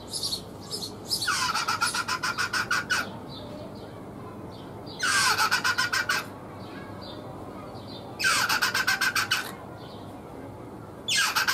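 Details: One of the most attractive male rock hyraxes repeats a rasping, rapidly pulsed phrase in rhythmic twos and threes, five times, each a little different, the last loosely improvised. Hyraxes whose song rhythms are more reproducible attract more mates.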